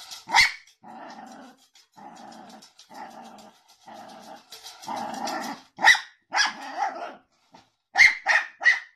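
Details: Jack Russell Terrier in a funny dog compilation, alternating loud, sharp barks with stretches of rumbling, pulsed growls, ending in a quick burst of three barks.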